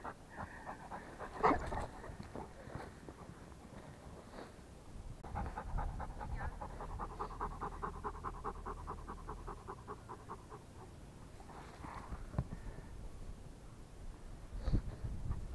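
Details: Rottweiler panting in fast, steady rhythmic breaths, several per second, strongest through the middle stretch, with softer breathy bursts and a few sharp knocks before and after, over low background rumble.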